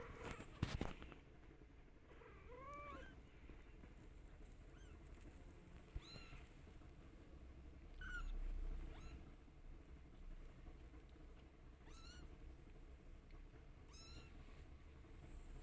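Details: Newborn kittens, 22 days old, yawning while the mother cat grooms them indoors: a few thin, high-pitched mews rising and falling. A louder curved cry opens the sequence, followed by fainter short squeaks scattered every couple of seconds over a low hum.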